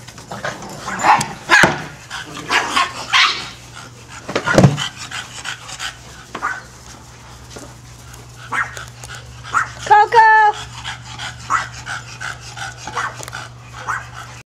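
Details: Several dogs playing together, with scuffling, panting and growly play noises throughout, a single clear high yelping bark near the middle, and a steady low hum in the background.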